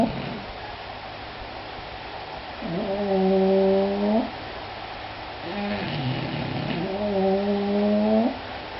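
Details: Two English Bulldogs snore in long, droning, almost moaning tones, one drawn-out snore every few seconds.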